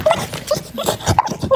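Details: Chow Chow dog indoors giving short, high whimpering whines, four brief tonal squeaks spread over a second and a half, with a soft rustling background.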